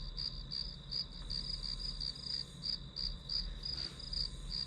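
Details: Grass insect chorus used as white noise while studying, giving bright, high chirps in a quick pulsing train of roughly three per second, slightly uneven in spacing, over a soft low rumble.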